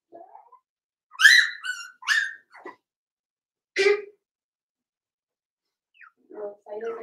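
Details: Cavalier King Charles Spaniel puppies, five weeks old, in Daisy's puppy pen indoors: a few sharp, high yelps come in a short burst, then a single cry after a pause and faint low murmurs near the end.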